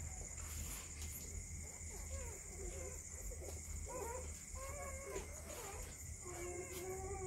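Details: Belgian Malinois puppies in Mumbai, India, giving thin, high wavering whines in short bent notes, repeated irregularly, over a constant electrical hum, hiss and faint voices.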